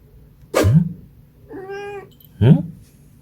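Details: Munchkin cat at home with a short, level, harmonic meow in the middle, set between two louder, low, abrupt vocal bursts that may be human, at the start and end.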